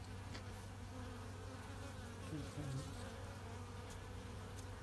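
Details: Low, even droning from Western honey bees in a small mating hive during the longan flowering season as the queen is inspected, with a faint human voice midway.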